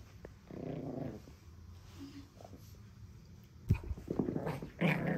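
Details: A Pekingese puppy gives low, rumbling growls ending in sharper, louder snarling bursts while guarding its beloved monkey doll during play; Pekingese dog.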